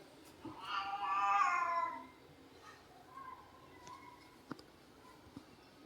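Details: Domestic cat indoors, shortly after being scolded, gives one long, drawn-out harmonic meow lasting over a second. It wavers slightly, then fades into a quiet room with faint, softer murmurs and a couple of small clicks.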